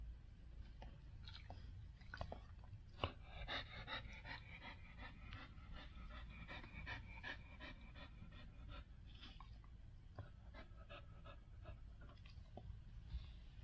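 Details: Standard Poodle named Gabbana panting indoors while in labor, giving birth to seven puppies; quick, rhythmic breathy puffs repeat several times per second throughout, with soft rustling and chewing-like noises in a small room.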